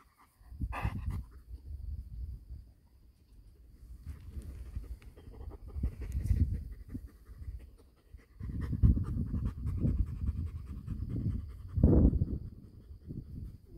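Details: Six-week-old male Golden Retriever puppy panting in uneven, breathy low bursts that swell and fade, with a louder stretch of rough breathing near the end.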